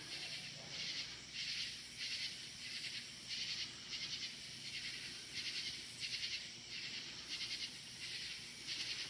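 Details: Crickets calling loudly at night, outdoors up in the woods. Dense high chirping forms pulsing bursts that swell and fade about every half second to second, a steady rhythmic chorus with faint low background rumble.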